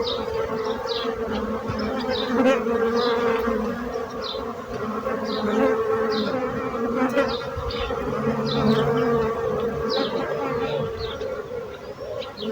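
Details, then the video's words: Bees buzzing as a thick, even drone with several overlapping hum tones and scattered brief high chirps and clicks over it. "So brutzit abelles - Bees sound - Bees buzzing sound effect"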